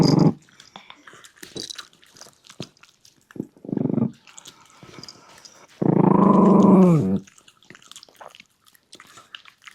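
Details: Shiba Inu puppy eating its meal, giving short low growls and then a longer rumbling growl over a second long, with crunching, chewing and biting clicks throughout.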